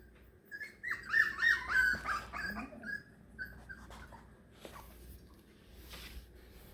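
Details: Beagle puppies, four weeks old, separated from their mother for the first time: a loud burst of wavering high whines and yips in the first two seconds, then scattered quieter whimpers and squeaks over a low room hum.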